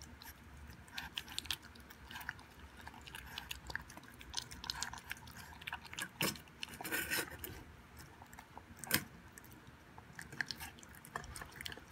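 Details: Quiet wet chewing and crunching of a puppy eating a raw beef meal indoors, with occasional clicks and no vocal sounds.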